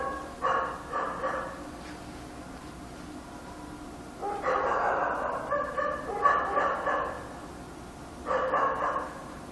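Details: Dog barking at night in Korea, heard more distantly: muffled, smeared bark bursts in short clusters separated by pauses, over a faint low hum.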